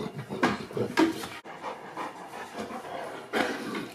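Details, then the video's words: Boerboel named Yzer, a mastiff, struggling to sleep and overheating on a very hot day. Loud breathy panting comes in rapid rhythmic bursts, pauses briefly, then resumes with strong breaths near the end. "Boerboel suffering from heat"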